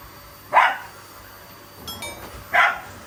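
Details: Shiba Inu, filmed alongside a Labrador as they attack a household vacuum cleaner in play, not anger: two short, sharp barks about two seconds apart, with a faint thin tone between them in a quiet room.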